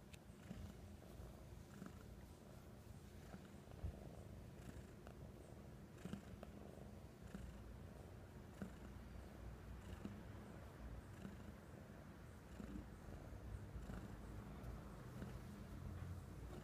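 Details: Pet cat Oswaldo, happy to return home after several days at the vet, purrs continuously; deep, even, rumbling purr with rhythmic breath cycles and occasional faint handling taps in a quiet room.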